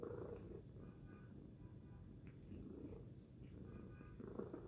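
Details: Tacy, a pet cat, gives a loud sustained purr, low buzzing rumble rising and falling gently with each breath.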